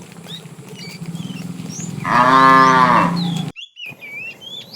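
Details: Afternoon herding of tame cattle, with a fat cow calling the female: a single rising-then-falling moo of about one and a half seconds over low rumbling and bird chirps, ending in a brief cut.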